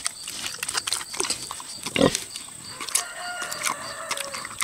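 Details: Six-year-old boar pig savouring tomatoes, with wet smacking chews in quick irregular clicks and one louder broad grunt-like burst midway, then more crunchy smacks, against a faint steady high background tone.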